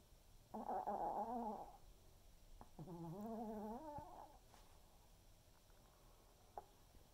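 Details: Waldo, an elderly Pomeranian, snores while napping in the afternoon. Two drawn-out, nasal, whistling snores about two seconds apart, each wavering in pitch, followed by soft breathing and a faint click in a quiet room.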